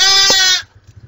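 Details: Goat kid's short, loud bleat, bright and buzzy with many overtones, cutting off sharply after about half a second and leaving near silence.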